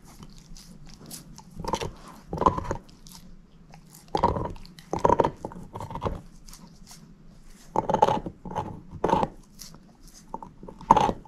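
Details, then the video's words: Moose, a female shepherd mix dog, gnawing a bone indoors: irregular bursts of crunching and biting, sometimes several quick bites together, with quiet pauses between and a low steady hum beneath. "SHEPHERD EATING BONE ASMR"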